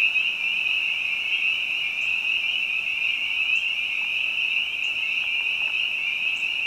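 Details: Spring peepers sing in spring behind a house among other frogs: a steady high-pitched ringing chorus, with short sharp upward chirps from another caller every second or so.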